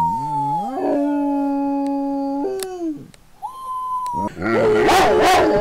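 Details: Female pet dog howling: a tone that rises at first, then a long steady note held for nearly two seconds, then a sliding drop, a brief higher sustained note, and wavering howling mixed with a person's voice.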